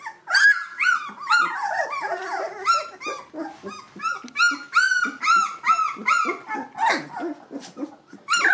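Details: A chorus of two-week-old Gordon Setter pups, E litter, eyes and ears now open, squealing almost without pause: loud, arched, high whines crowding over each other in an urgent, irregular stream.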